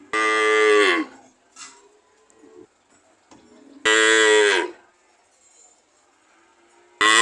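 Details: Repeated cow moos, full and harmonic, each under a second long with a gently falling tone, spaced about three seconds apart with soft shuffling sounds between.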